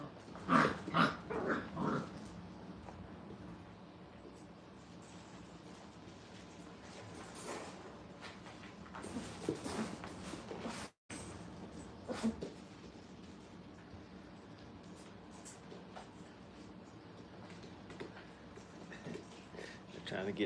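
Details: Kennel puppies, five weeks old, romping and trying to tear up a rug and bite at feet; sharp high yelps and growls cluster in the first two seconds, then quieter scuffling and occasional whines with a man's voice.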